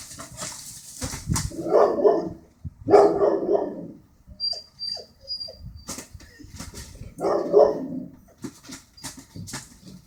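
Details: Border Collie reacting to birds it doesn't like: three harsh, grumbling bark bursts spaced a few seconds apart, with quiet clicks and a thin high whistle-like tone in the gaps.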